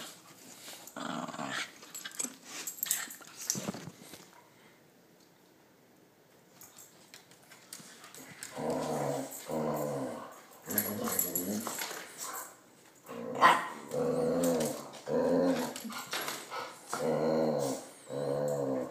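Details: Two pet dogs, Max and Princess, with Princess sometimes not liking Max: faint scuffling, a quiet stretch, then a run of throaty growl pulses roughly once a second, rising and falling in loudness.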